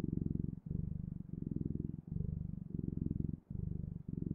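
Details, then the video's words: Cat purring in a deep, steady rumble, each breath cycle lasting under a second with short gaps between, close and clear with no other sounds. "Sounds of Cat's Purring"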